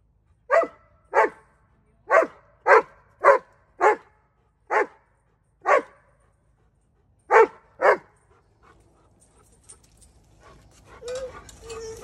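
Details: Dobermann; bark; excitement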